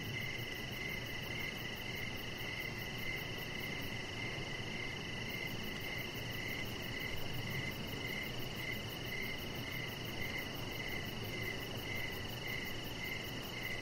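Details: Crickets calling in the evening beside a deck where a Chihuahua puppy named Rocket lies under decoration lights; short, even chirps repeat about twice a second over a steady hiss and low background rumble.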